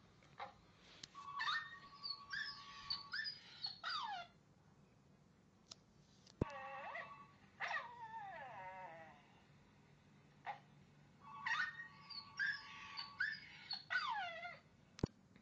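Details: Pooka the puppy whining in repeated bursts of squeaky, wavering cries separated by short pauses, with a few sharp clicks and quiet stretches between.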